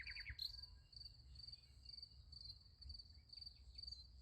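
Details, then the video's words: Crickets at night beside a sunflower field: a steady high, shrill pulsed chirping runs unbroken through the clip, with a few quick descending chirps from another caller at the very start and a low rumble of background noise. "Nice Sunflower Field with Crickets Sound Effect"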